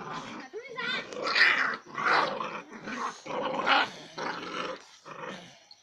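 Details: Puppies fighting, giving a series of rough, harmonic growling and snarling bursts about every half second to second, rising and falling in loudness, with a human voice also present.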